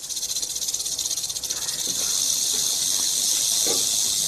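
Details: Rattlesnake rattle heard as a sizzling high buzz, pulsing at first and then settling into a steady, unbroken whir.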